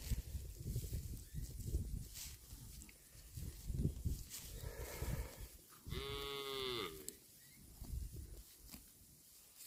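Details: While a cow grazes on grass, crunching and rustling fill most of the recording, then a single loud moo lasting about a second stands out, steady and slightly falling at its close.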